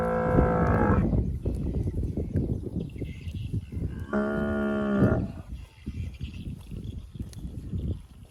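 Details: Grazing fat cattle among bushes, two moos roughly four seconds apart, the second a steady held tone about a second long, over heavy rhythmic chewing and grass-tearing noises.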